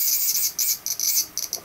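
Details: Japanese cicada calling in summer (August) among many trees in Japan: a shrill, raspy, high hissing buzz broken into short, stuttering, uneven bursts several times a second, with nothing low-pitched beneath.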